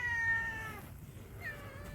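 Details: Mother cat in Yangpyeong, South Korea, reacts after a dog snatched its treat: a loud, clear, long meow sliding slightly downward, then a shorter, softer meow, over faint background music.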